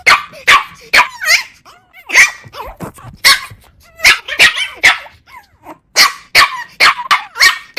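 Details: Shrill puppy yips and barks tumbling over one another almost without pause, high-pitched and excited, with squeaky rising and falling whines between the barks.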